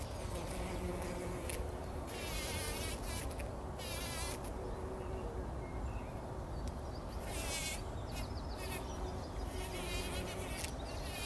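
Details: Several bumblebees rolling in poppy flowers early in the morning before sunrise, 2019; a low, steady hum comes and goes beneath bursts of crackling rustle from the petals and a broad noisy background.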